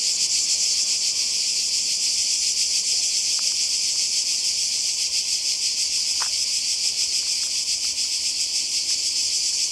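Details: A dense chorus of cicadas makes a steady, high, pulsing buzz that never lets up, recorded by the sea in Croatia during a 2020 summer holiday.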